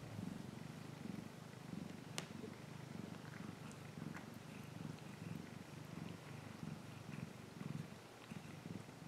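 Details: Domestic cat purring steadily while waving, a low rumbling throb pulsing in a fast, even rhythm, with a few faint clicks and rustles over a quiet background.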